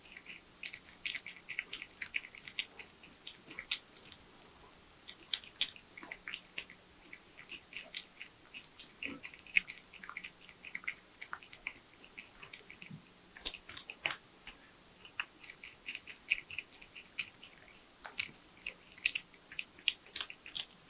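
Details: Tree porcupine feeding on nuts, bananas, sweet potatoes, apples and carrots in a small room. Steady crunching and chewing continues throughout, with rapid crisp bites in irregular clusters and short lulls between them.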